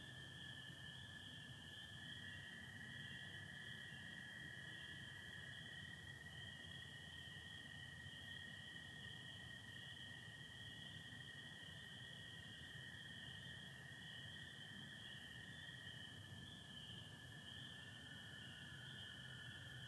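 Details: Spring peepers calling with American toads on a spring night in Michigan, 24 April 2025, under stars with some overcast; a steady shrill high chorus runs throughout above a continuous lower trill, with a faint low rumble beneath.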